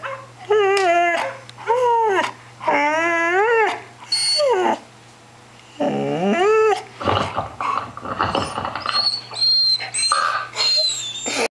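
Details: Lexie, a puppy of 10 months, reacts vocally to dogs playing on a computer: loud drawn-out, wavering howl-like barks repeated every second or so, followed by a noisier, rougher stretch with faint high tones.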